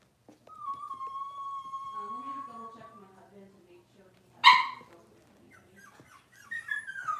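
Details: Six-week-old Cavalier King Charles Spaniel puppies in a puppy pen, handled while being dewormed and having toenails trimmed. A long, steady, high whine drawn out for about two seconds, then one sharp loud yelp and softer falling whimpers.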